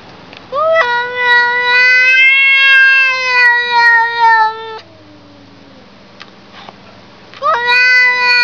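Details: Domestic cat giving one long, drawn-out meow lasting about four seconds. Its steady pitch sags slightly toward the end, then trails off. After a few seconds of quiet room noise, a second meow begins sharply.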